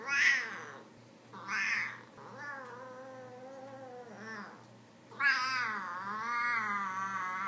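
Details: Domestic cat sounds used to call a cat to come; long, wavering, moaning meows with rich harmonics, some rising and falling like a drawn-out yowl, a few short breathy bursts between.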